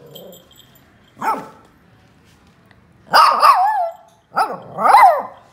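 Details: Lhasa Apso pup named Joy barking for the first time while playing indoors: a soft yip, then two louder, rising-and-falling barks with a harsh edge, separated by short pauses.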